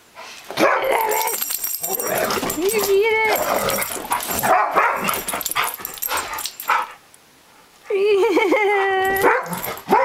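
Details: German Shorthaired Pointers at play, fighting over a squeaky toy duck; choppy barks and growls mixed with wavering, whiny squeals from the toy, broken by a brief quiet gap before another long squeak-laden burst.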